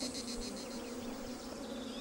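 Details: Honey bees buzzing on a summer mid-morning in Las Villuercas, recorded around 1995, their hum masking bird song: a steady, droning low buzz with parallel bands and faint bird notes behind.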